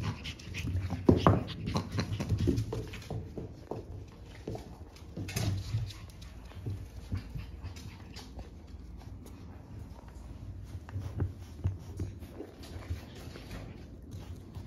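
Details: Energetic French Bulldog puppies, siblings born March 14, pant in uneven breathy puffs with snorts and sniffs; scattered rustling and faint voices in a small indoor room.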